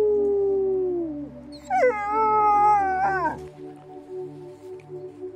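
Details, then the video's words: Cheerful wolfdog finishing a falling howl, then a short, higher wavering cry that sags downward, ending in quieter murmurs and a low hum. "Very happy wolfdog"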